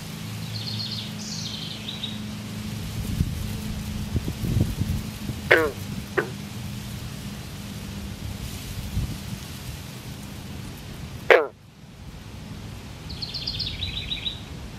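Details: Northern green frogs, a pair in mating embrace amid fresh eggs with the male and other males calling; three sharp banjo-like twangs, a close pair then one loud note, with faint high chirps and a low rumbling background.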